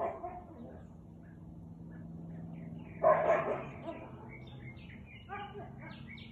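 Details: A Siberian Husky gives one loud, rough bark over a low background hum at 4:17 pm on 13 March 2021.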